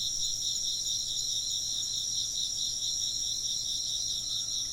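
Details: Insects chirping in a steady, dense chorus, high-pitched pulsing trills layered in several bands that shimmer without pause for the whole stretch, with a faint low hum underneath.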